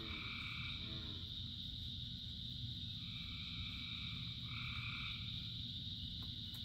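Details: Frogs in rain, thousands singing together: a quick rattling pulse opens, then two two-toned calls in close succession rise over the unbroken high chorus hum, with dense rain noise below.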